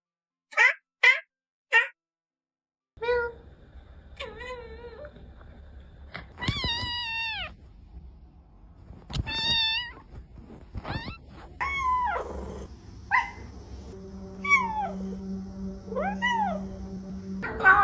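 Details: Domestic cat meowing in short bursts: three quick high meows, then a series of longer, wavering, rising-and-falling meows with a steady low hum in the background.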